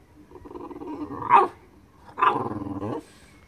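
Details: French Bulldog playing with an ice stick, giving two harmonic growling vocal bursts: the first swells over about a second and a half to a loud peak, and the second is a steadier rumble of under a second, in a quiet indoor setting.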